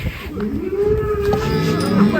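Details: One long, steady moo with a slightly rising pitch fills the moment as a raging cow leaves its pen. Faint crowd murmur sits in the background.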